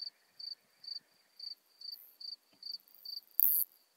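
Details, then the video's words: Modest Plump Bush-cricket (Isophya modesta) at Marz, Austria, on 13 June 2020: a steady series of short, high, narrow-pitched chirps about every half second, with a brief loud click near the end. "Isophya modesta -- Königs-Plumpschrecke -- Modest Plump Bush-cricket"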